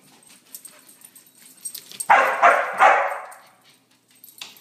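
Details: Border Collie after three days of rain barking in a quick run of three hoarse, loud barks, then falling quiet, with faint tapping sounds before and after.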